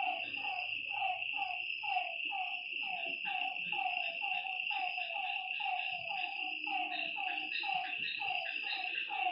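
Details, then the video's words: Frogs calling at night beside a lake: a dense chorus of short, rapid croaking notes repeated several times a second, over a steady high insect trill throughout. "Lakeside night creatures and frog sounds"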